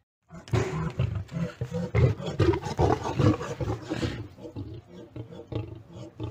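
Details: Lion locked in a fight with a tiger: loud, harsh snarling roars pulse rapidly, about twice a second, for some four seconds before easing into quieter, rougher growls.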